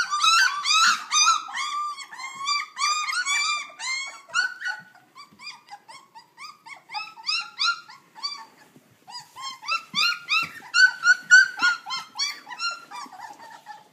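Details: A litter of puppies under three weeks old squealing and whining in a dense chorus, rapid arched cries about three per second, briefly thinning to softer yelps midway before swelling loud again.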